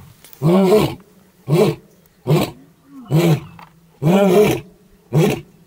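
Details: Wild male lion, a nomad from the Maasai Mara close to the Tanzania border, heard in the morning near his brother: six deep, grunting roars at roughly one per second, each a short, loud, rounded bellow with low rumbling between.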